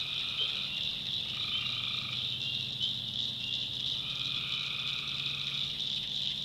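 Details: Tree frogs heard at night in a North Carolina backwoods swamp. Their thick high chorus never breaks, while two lower trills, each about a second long, sound in turn over a faint rumble.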